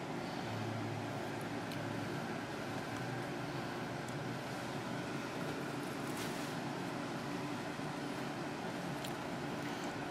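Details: Constant broadband rumble like road traffic fills the scene, with a few faint clicks and no animal voice.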